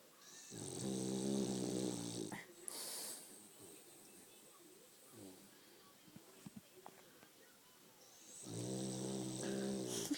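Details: A sleeping French Bulldog snores in long, rasping, low rumbles separated by a quiet pause.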